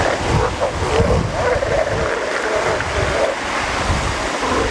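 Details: Northern elephant seal on the coast: a series of short, wavering, moaning calls at mid pitch, some rising and falling, repeated through the stretch over steady roaring surf and wind.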